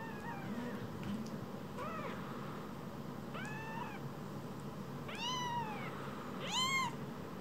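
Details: Pair of rescued newborn kittens no bigger than a mobile phone calling: short high mews growing louder and longer, five or so across seven seconds, with steady low background noise.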